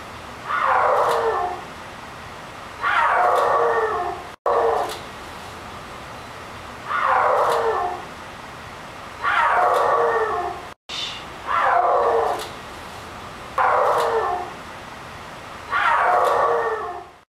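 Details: Zoe, a snow leopard at the Central Park Zoo, gives loud, drawn-out yowling calls that slide downward, repeated every couple of seconds; recorded March 27, 2010.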